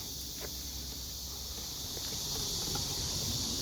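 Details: Blackish cicadas give a steady, harsh, high-pitched hiss that drones on without a break, over a low outdoor rumble and faint clicks. Recorded on the last day of July, while collecting cicadas on the way home from work.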